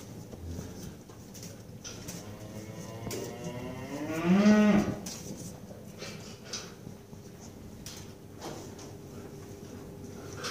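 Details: Eastern Finncattle cow nursing her calf gives a single loud, harmonic moo midway through, swelling and then fading over about a second and a half, surrounded by quiet knocks and shuffling.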